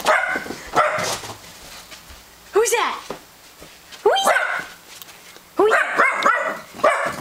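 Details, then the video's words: Domestic dog reacting to a doorbell played from a computer, giving loud single barks about every one and a half seconds, then a quick cluster near the end, while a person keeps talking excitedly in the background. "Barking at the doorbell"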